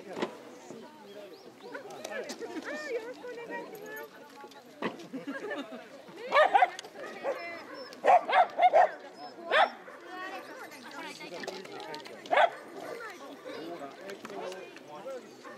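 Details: At a corgi meet-up on 1 December 2013, corgis bark in short, sharp bursts over a steady murmur of people talking.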